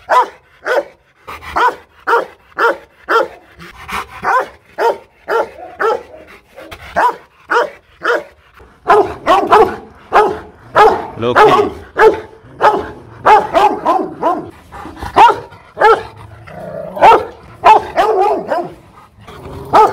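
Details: Powerful barking of an aggressive Rottweiler, Loki Gervi, at a breeding kennel in Hoàng Mai, Hanoi, Vietnam; steady runs of short barks that turn denser and deeper-sounding in the second half, about one-and-a-half per second.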